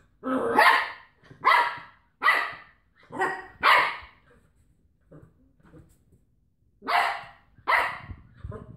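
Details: A Cocker Spaniel wrestling with a washing-tablet carton gives harsh, throaty growling barks in short bursts, several each second, then a pause.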